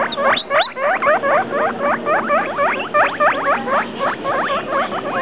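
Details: Pet guinea pig, two weeks and three days old, squeaking in a rapid run of short whistled notes that climb then drop, about four each second, steady and insistent throughout, with faint room noise behind.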